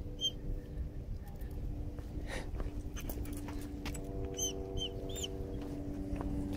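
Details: A leash-shy, timid dog protests while being walked and desensitized to leash pressure, giving thin, high yelping whimpers, one early and a cluster of rising-falling squeals midway, against a low background rumble and faint hum.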